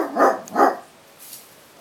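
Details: A basset hound facing off with cats gives two deep, full barks in quick succession.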